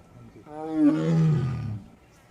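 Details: Wild Royal Bengal tiger roaring in the thickly forested rocky terrain of the Burapahar range, Kaziranga National Park, Assam: a single deep, harmonic roar lasting over a second, rising then sliding lower and fading, with a reverberant tail and a quiet background.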